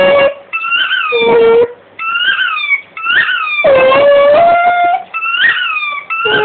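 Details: Indoor dog singing along to a squeaky rugby ball it bites: short, chirpy, rising-and-falling squeaks alternate with the dog's drawn-out, steady, mid-pitched howled notes, several held for about half a second.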